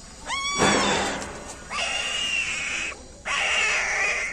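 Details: Sustained high, strained squeals from newborn puppies, part of a street dog's litter of nine with their mother: one sharp upward-swooping cry, then two long, steady, piercing wails separated by a short gap.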